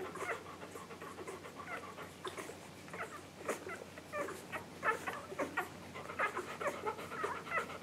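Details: English Golden Retriever puppies just under one week old, filmed July 15, 2012, give soft, irregular squeaks, grunts and snuffling sounds while nursing.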